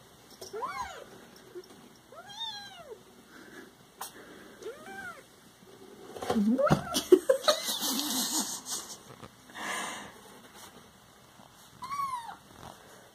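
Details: Siamese pet cats meow in short arched calls, then a noisy burst of scuffling and handling mid-way, followed by one more meow, with a steady hum throughout.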